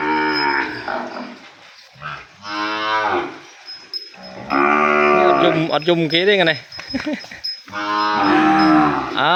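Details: Calf separated from its mother, crying loudly in a cattle pen. Long harmonic bawling moos come in several drawn-out bouts, some rising and wavering, with short quiet gaps between them.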